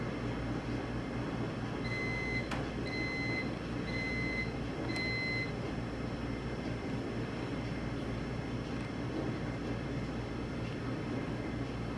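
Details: Steady low indoor hum with four short, evenly spaced electronic beeps and a sharp click; no animal sound is present.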